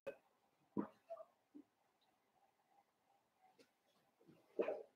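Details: Blenheim Cavalier King Charles Spaniel puppies from a litter of five born at New Year, on puppy Theo's pick-up day: short, sharp yips and squeaks scattered through a few seconds, with quiet human voices between them.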